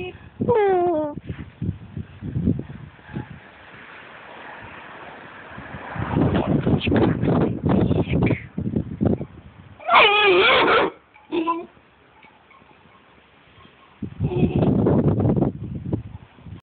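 A Vizsla puppy growls in rough, rumbling bursts and gives high, whiny yelps, with people talking nearby.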